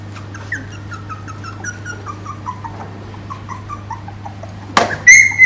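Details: Vietnamese Phu Quoc Ridgeback puppies jostle at the teat while being fed. A run of short descending squeaks repeats rapidly and gradually weakens. A sudden loud rustling clatter near the end joins a low constant hum.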